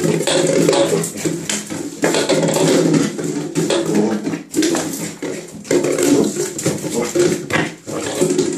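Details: Pembroke Welsh corgi in a bath tub indoors, making sustained rough, growly vocalizations in long bursts separated by short breaks, with water noise and small-room echo throughout and faint human speech.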